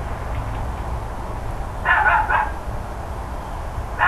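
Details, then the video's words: Neighbours' dogs barking, recorded 13 October 2012 shortly before or after 10 AM: quiet hum at first, then a tight burst of three barks near the middle, and another bark starting as the recording ends. "Barking Dogs Loud Neighbors"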